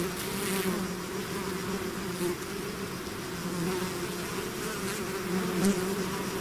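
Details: Humming swarm of bees out of the hive, steady low droning with shifting pitch bands as individual bees pass close, unbroken throughout.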